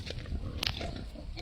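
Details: A family pig making low, rough grunting and snuffling noises mixed with chewing-like clicks, a steady noisy rumble lasting about a second and a half.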